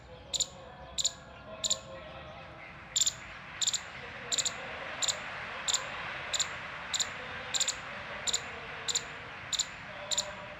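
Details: Alert Indian palm squirrel balancing its body while giving alarm calls: sharp, high-pitched chips repeated roughly every 0.6 seconds, about sixteen in a row, over a steady low hiss.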